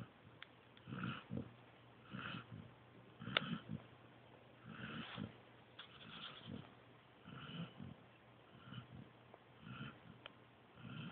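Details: Joby, a pointer pup, sleeps soundly and snores in steady raspy breaths, each lasting a fraction of a second and repeating about once a second, with quiet pauses between them.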